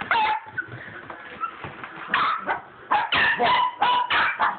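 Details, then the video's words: Pet dogs playing with a tennis ball up and down a hallway, excited yipping barks and whimpers in quick irregular bursts, several per second in the second half, with scuffling between calls. "My crazy dogs and a tennis ball"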